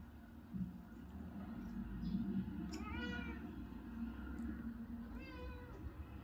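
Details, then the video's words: Pet cat being offered treats by a man talking to it; two short, rising meows about two seconds apart over a steady low background hum, with the man's voice between. "The talking cat"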